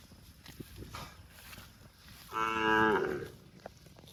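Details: A cow gives one short, rich moo, a low droning voice that swells and then fades, calling to its extended family.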